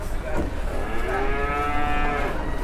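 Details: Large newly arrived cattle, two animals out of their pen for the first time, one hard to control: a single long, drawn-out moo with rich, steady harmonics lasting over two seconds.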